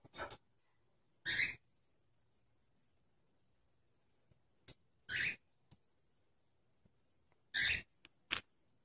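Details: Cat or kitten giving short, breathy, harsh bursts, each about a third of a second, loudest bands high and middle, spaced irregularly across several seconds with quiet between; a few faint clicks, otherwise a silent background.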